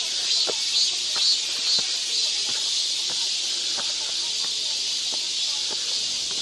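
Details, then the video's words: Summer cicada chorus in the forest of Galsan Park, Mokdong, Yangcheon-gu, Seoul: a dense, steady high-pitched hiss without breaks, with light scattered clicks and taps beneath it. "여름 자연의 소리. 매미울음소리."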